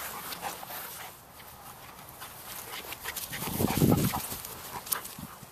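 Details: Four dogs playing together, November 2013: Black Russian Terrier mother Sadie, 10-month-old daughter Yara, 9-year-old Chihuahua and 8-month-old terrier; rough rumbling growl swells in the middle amid movement noise and a brief high squeak.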